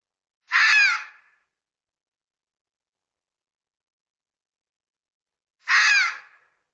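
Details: Red fox uttering two drawn-out, raspy screaming cries, each under a second long and about five seconds apart, with quiet in between.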